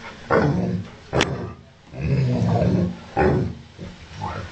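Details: Ovcharka mix dog, angry and barking and growling at its owner: deep rumbling growls broken by a few sharp, short barks, close and loud.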